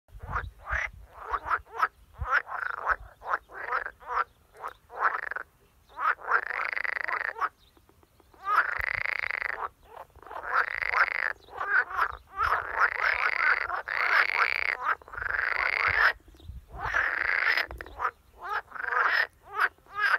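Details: An edible frog (Pelophylax esculentus) croaks in water in rattling, pulsed bursts, some brief and others stretched into long churring phrases.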